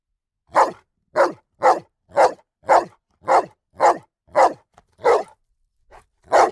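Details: A dog's repeated barks come at a steady pace, roughly one every half second, in a run of nine followed by a pause and two more barks, with no other sounds.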